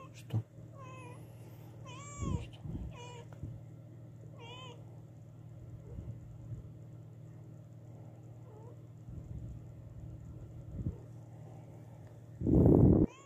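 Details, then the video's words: Mother cat that has lost her newborn kittens meowing loudly indoors: about five arched, tonal meows in the first five seconds, then fainter calls, over a steady low hum, ending with a loud rustling thump. "Mom cat meows loudly"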